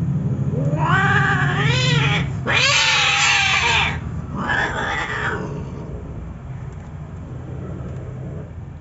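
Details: Siamese cat mating with a male puspin, a Philippine street cat, giving loud drawn-out caterwauls: three wailing cries with wavering, bending pitch, the second longest and strongest, then quiet background hum.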